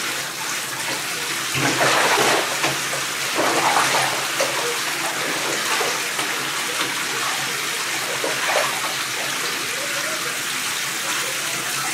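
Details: Running water splashes and pours steadily from a tap into a bath, with no animal voice heard.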